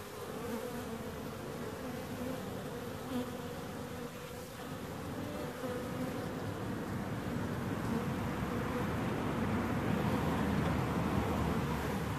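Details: Bees buzzing in a rough, grainy hum that slowly grows louder and fuller toward the end, with a soft mid-pitched tonal band running through the first half.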